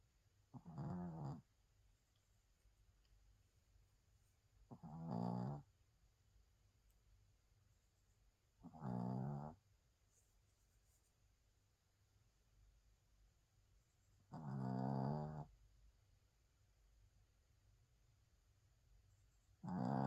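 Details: Sleeping Spitz snoring indoors: five low, rasping snores, each about a second long, spaced roughly every four seconds, with a quiet room otherwise.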